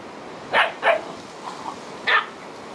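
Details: Korthals griffon with her litter, day 64: three brief, sharp barks, two close together and a third after a pause of over a second, against a quiet background.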